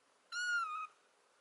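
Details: A kitten warming up to people quickly lets out a single short meow, bright and tonal, level at first then dipping a little at the end, over a quiet room background.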